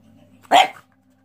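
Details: Boston Terrier, a pet dog, giving a single short sharp bark indoors over a low steady hum.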